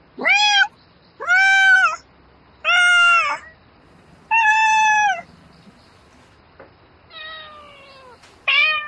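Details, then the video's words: At night a domestic cat calls for a mate in bouts of meowing: long, level, strongly harmonic meows nearly a second each, followed by a softer falling call and a final sharp meow. "Tiếng mèo kêu Gọi Bạn Trong Đêm Meo Meo Từng Hồi"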